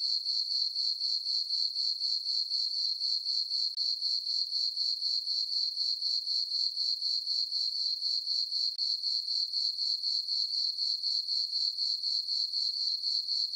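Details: A summer night chorus of crickets in a moonlit meadow on a farm. A continuous high-pitched, shimmering chirp repeats in quick, regular pulses, about four each second, with a quiet background.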